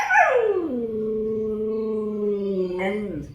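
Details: A husky greets its owner with a drawn-out vocal 'hello': a quick falling whine drops into a steady, low, sustained moan, then a short upturn at the close. The owner speaks Bengali around it, coaxing the dog.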